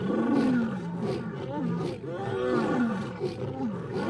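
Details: Lionesses in the wild chorus together, out-roaring two rival brothers; layered, drawn-out moaning roars slide downward and overlap in a steady, unbroken wall of sound.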